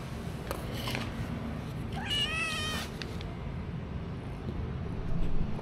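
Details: Stray kitten meowing while being given a little food, filmed on an action camera: one clear, harmonic meow with a slightly rising then falling pitch near the middle, faint fainter cries before it, over steady low background rumble.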